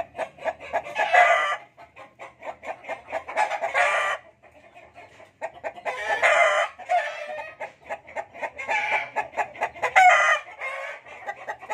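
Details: Fighting cocks: a string of choppy clucks broken by several loud, harsh, drawn-out crowing bursts about a second long, with short quiet gaps between.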